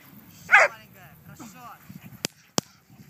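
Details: Giant Schnauzer gives a single loud, sharp bark, followed by a softer whine-like sound and a couple of sharp clicks.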